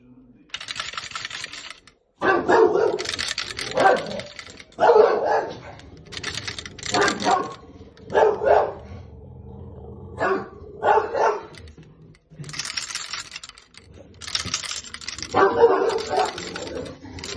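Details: Two Bulldogs, Bruno and Rosco, reacting to the sound of coat hangers: a series of short, tonal, yowling barks and grumbles, some overlapping, with bright metallic clatter between them and people talking.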